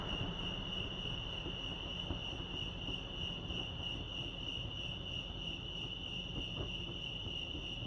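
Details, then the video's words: Crickets chirping at Lake Arrowhead, California: a steady, unbroken high-pitched trill holds at one pitch for the whole stretch, over a soft low rumble of background noise. "Serenity sounds crickets chirping lake arrowhead"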